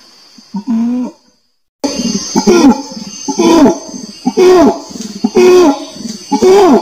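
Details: Orangutan calling: a string of deep, arching, harmonic hoots, each rising then falling, roughly one per second after a short opening burst and a brief silent break, over a steady high hiss.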